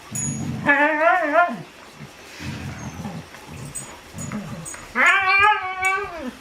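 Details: Normally silent dog making a rare noise, two drawn-out wavering howl-like cries, the second rising then falling, separated by low grumbling and background chatter.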